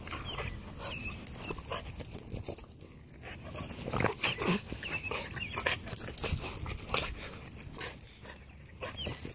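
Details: Pet Boston Terrier during his pre-walk ritual, making rapid, irregular snorting and clicking bursts mixed with thin, brief high whimpers, in a steady background hiss.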